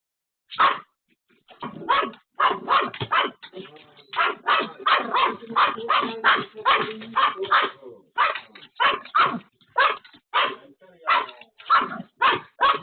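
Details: Pomeranian left home alone barks frantically at a sudden visitor: a rapid, sharp, high barrage of around two dozen yapping barks over about thirteen seconds, mostly evenly spaced, with a brief run of overlapping barks near the middle.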